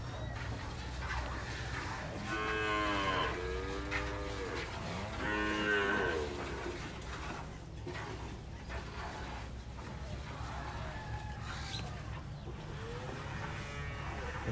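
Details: Dairy cows being milked on a farm in the El Salvador countryside; three drawn-out, low, harmonic moos between about two and seven seconds, then fainter lowing later, over a steady low hum and some background noise.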